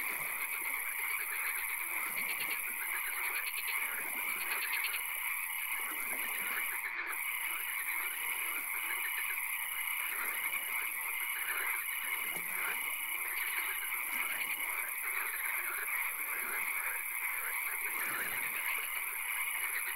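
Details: Frogs calling in a swamp at night with occasional rain: a dense, overlapping chorus of rapid pulsed croaks, a repeated dashed note running steadily through most of the stretch, a constant high hiss above, and one sharp click near seven seconds.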